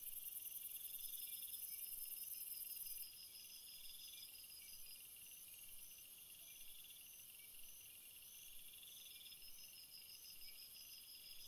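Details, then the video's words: Several crickets in a flower-filled field chirp together: steady high pulsed trills stack in layered bands, some short bursts repeating roughly once a second, with a louder hiss in the first three seconds and no other sounds. "Field flowers screensaver and crickets sound"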